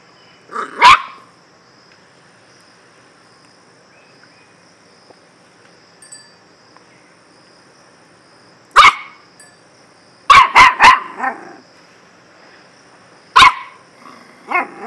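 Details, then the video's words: Scattered dog barks with long quiet stretches: one bark early, another after a silence of several seconds, then a rapid triple bark followed by a single bark and a softer yelp near the end. "DOG BARKING || BEST BARKING STYLE"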